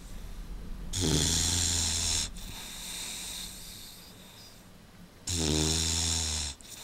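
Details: An Old English Bulldog asleep in a dog basket that is a little small for it snores in two long, rasping breaths with a low, buzzing rumble.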